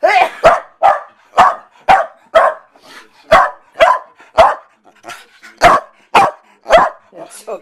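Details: Corgi barking after its owner sneezes again: a rapid, fairly steady run of about fifteen sharp high barks, close to two per second, with an excited, yippy quality.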